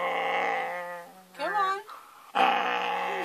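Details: A Siberian Husky on a bed at bedtime gives long, drawn-out, moaning vocal grumbles, refusing to get off, while a person repeatedly tells it to come off.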